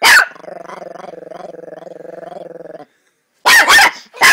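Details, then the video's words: Chihuahua growling in a sustained vibrating rumble for over two seconds, followed after a short pause by a loud burst of barks. "Small dog big growl"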